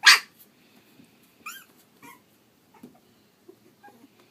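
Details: Young Pug/Dachshund mix puppies at three and a half weeks: one loud sharp yelp opens, followed by thin rising-falling squeals and several softer whimpers and grunts spread across a few seconds.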